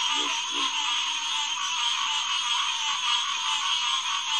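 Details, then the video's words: Green tree frog (Hyla cinerea) chorus at the Headquarters Pond, SMNWR, about 9:10pm on June 2, 2021: a dense, unbroken wall of overlapping calls, with a few low pulsed grunts early on. "Green Tree Frog Chorus"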